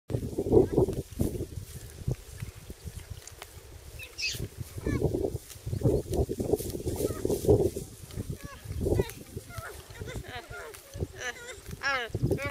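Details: Geladas (Theropithecus gelada) trade low grunts and moaning calls, with a few higher, wavering cries near the end.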